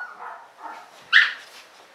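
Alaskan Malamute puppies give soft whining murmurs, then one sharp, bright yelp.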